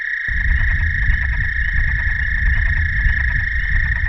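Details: American toads in a night chorus in Shawnee National Forest, Southern Illinois, in early April spring: males calling to females in a steady, high, musical trill with no breaks.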